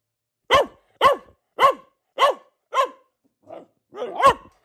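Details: Barking from a female pet Boxer: five strong, evenly spaced harsh barks, then a brief soft grunt and a longer rougher bark with a growly edge at the end.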